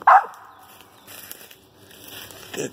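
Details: Female dog Lakebottoms Pocahontas barking while treeing a squirrel: one sharp, loud bark at the start, then quiet with faint outdoor background and soft rustling, a softer sound near the end.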